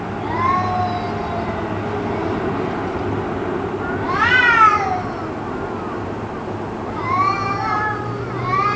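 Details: Cats yowling on and on in an apparent fight that went on for about two hours: wavering, rising-and-falling harmonic wails in three bursts, the loudest around the middle, over a steady low background hum.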